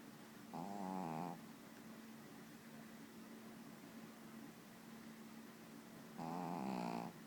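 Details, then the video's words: A pet dog snoring: two long, buzzing, rattly snores of under a second each, about five seconds apart, with a steady low hum in the room between them. "Dog Snoring"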